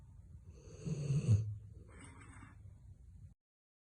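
A Rottweiler snores with a deep, rumbling rattle that swells and fades.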